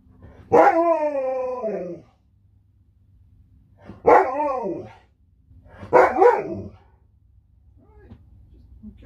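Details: Alaskan Malamute named Sherpa, a pet dog at home, vocalizing while it plays with a phone: three loud, drawn-out harmonic woo-like howls, the first long and falling, the next two shorter and arched, about two seconds apart, in a quiet room.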